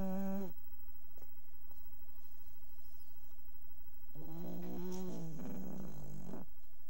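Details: A dog snoring in its sleep indoors. A brief harmonic snore is followed by a near-silent pause, then a long, vibrating snore of about two seconds.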